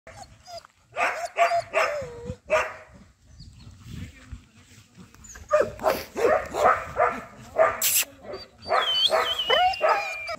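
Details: Semi-adult Doberman in Bangalore, India, barking in short bursts of harsh repeated barks with brief pauses between them, and whining yelps mixed in.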